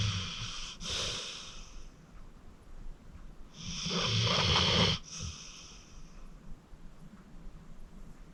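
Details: Acorn, a 14-year-old rescued senior pit bull, deep asleep and snoring: broad breathy rasps around one and four to five seconds, the second longer and louder, with quiet breathing between.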